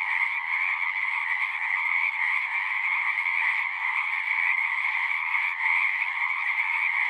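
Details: Many frogs singing together at a pond in a horse pasture, recorded on a Zoom recorder: a dense, unbroken trilling chorus with two steady bright bands, one mid-pitched and one higher, and a faint hiss above.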